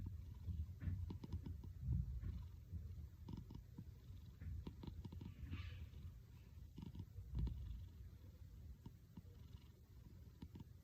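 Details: Domestic cat purring with a low, rumbling, snore-like sound, a steady deep vibration that swells and fades irregularly, with soft clicks and light rustling over it.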